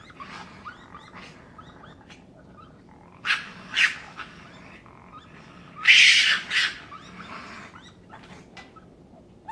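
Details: Raccoon calling with a few scratchy, breathy bursts, two close together near the middle and a louder, longer rasping burst later, separated by quieter gaps over constant background hiss.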